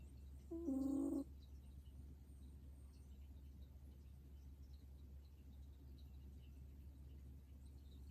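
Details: An old dog asleep and snoring: one short, steady, whistle-like tone with stacked overtones lasting about half a second, then only a constant low hum in a quiet room.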